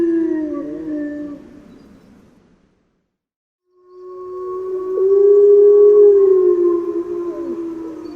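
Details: Grey wolf howling: a long, steady, low moaning tone that slowly falls, fades out, then after a second of silence returns as a louder, sustained howl with a slight rise and drop at the end.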